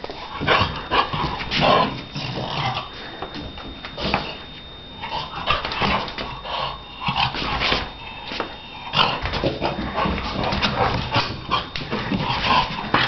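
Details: A Shar Pei named Donna at play, giving short broken yips, whimpers and throaty growl-like sounds in irregular bursts, with a steady high background tone and some scuffling throughout.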